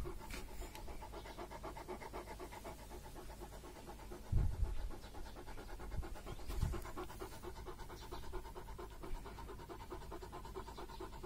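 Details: Purebred female German Shepherd, up for adoption, panting in fast, steady breaths about four per second throughout, with a couple of low thumps partway through.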